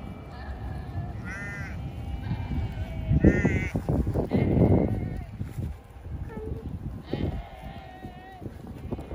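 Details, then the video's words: Sheep beside the Rhine river in Düsseldorf, heard on a bike trip, giving odd, funny-sounding bleats: wavering, quivering cries near 1.3 and 7 seconds, with a loud burst of people talking and outdoor noise in between. "Funny sounding sheep"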